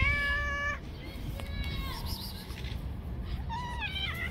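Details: Stray street cat attacking and fighting other cats; a long flat harmonic meow, then a fainter drawn-out wail and a final rising, wavering cry, against constant low urban rumble.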